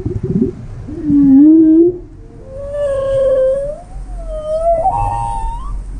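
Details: Whale vocalizing on a whale-watching trip: a low moan bending slowly upward, then long smooth tonal sweeps that climb, waver and rise higher near the end, each carrying clear stacked overtones over a low rumbling background.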